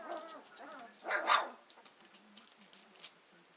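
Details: Two-week-old Hovawart puppies beginning to explore: a short wavering whine, then one louder squeaky yelp-like burst, followed by faint rustling and quiet snuffles.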